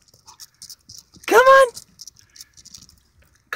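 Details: Male Jack Russell Terrier out on a walk, chasing rodents: one sharp rising yelp-whine lasting under half a second, amid a man's encouraging voice and footsteps.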